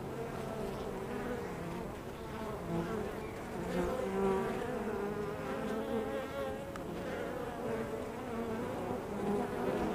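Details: Honey bees crowd a hive entrance with unbroken buzzing. Many wingbeat tones overlap into a rich, shimmering drone, and single bees briefly swell louder as they fly near.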